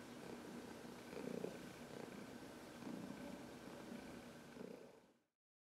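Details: Heidi, a 14-year-old senior cat adopted from the Humane Society of New York City, massaging herself against someone's knuckles on March 25, 2021; soft, steady low rumbling purr that stays even for about five seconds before cutting off.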